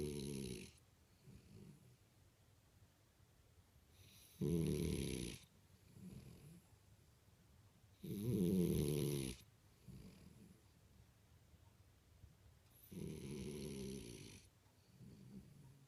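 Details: Sleeping French Bulldog Imohei snores four times, each rough, noisy snore about a second long and spaced roughly four seconds apart, with faint breaths in between.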